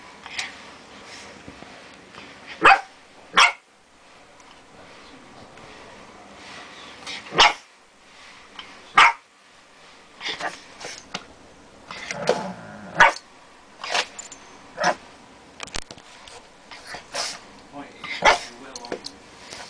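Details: Female Boston Terrier pug cross, a pet dog, barks ferociously at her big new bone to scare it away, with stealthy attacks; sharp, abrupt barks come in irregular bursts with quiet gaps and faint background noises between.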